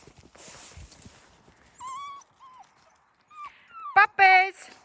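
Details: Seven-week-old fox red Labrador Retriever puppies being introduced to the outdoors; thin high whines and a wavering whimper come through, followed by a sharp yelp and a louder harmonic cry near the end.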